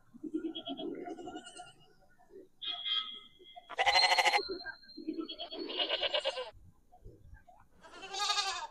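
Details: Goat approaching and searching after hearing its own sound played back: a series of four or five loud, quavering bleats of varying length, some shrill and buzzy, separated by pauses and low murmuring speech.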